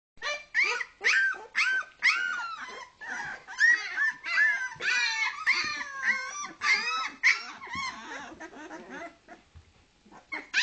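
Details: Two-week-old Leonberger puppies from a kennel litter in Norway, several pups crying at once: overlapping high, wavering whines and squeals, many short rising and falling cries in quick succession, indoors.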